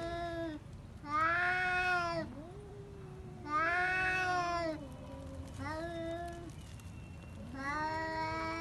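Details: Fighting pet cats give repeated loud yowls, roughly every two seconds, alternating with lower bending moans that slide up and down in a tense standoff.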